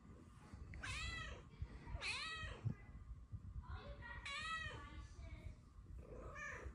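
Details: Luna, a blue-eyed female Snow Lynx Bengal cat, looking out a window and headbutting her owner, gives a string of bright, happy, rising-then-falling meows, each about half a second long, in the morning.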